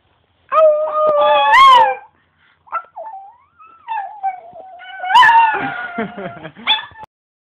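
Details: Pet Chihuahua howling: a loud rising howl, then quieter wavering whines sliding up and down, ending in another strong howl with broken yipping notes.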